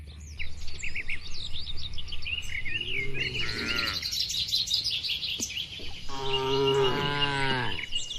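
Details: Cows eating in their barn produce two drawn-out moos, the second longer and wavering, over a steady low hum. Busy bird twittering sits high above throughout.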